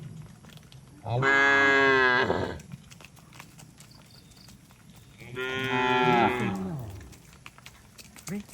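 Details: Two long, full-throated moos from cattle being driven home to the barn in pouring rain in the countryside, the second dropping in pitch at its end, with steady rain noise beneath.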